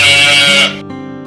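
A domestic sheep gives a short, harsh, wavering bleat, with background music alongside.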